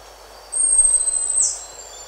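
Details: Single drawn-out, piercing whistle from a buffy-headed marmoset, recorded up close as a contact call. The tone holds steady and ends with a brief flare, then fades against a near-silent backdrop.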